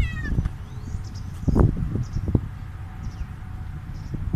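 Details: Stray cat meowing after eating food; a short, clear meow with stacked harmonics opens the recording, followed by low rumbling outdoor noise, thumps and faint distant bird chirps.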